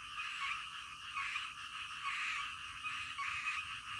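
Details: Midnight frog chorus of thick overlapping croaks swelling and easing in waves about every half second, with a soft low background hum.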